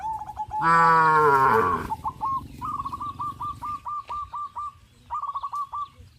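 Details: A single loud, rich moo comes from tame cows gathered in the fields where they run and jump. It is followed by rows of quick repeated chirps from birds.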